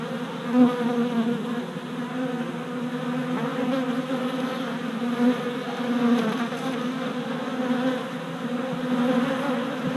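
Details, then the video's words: Many worker honey bees on orientation flights at the entrance of a freshly installed hive, GoPro recording from 27 April 2017; unbroken hum with wavering pitch, occasional passing bees swelling the drone. "Honey Bee Orientation at Hive"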